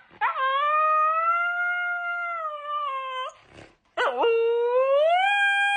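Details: Dramatic Siberian Husky howling twice: a sustained, level, pure-toned howl lasting about three seconds, a brief pause, then a second howl that starts with a wavering dip and rises to a higher held pitch.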